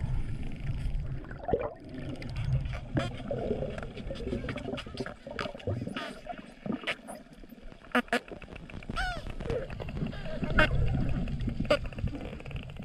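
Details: Hawaiian spinner dolphins vocalizing underwater at Easter; dense clicks and buzzing click trains with a few short whistles, over a constant low rumble of water.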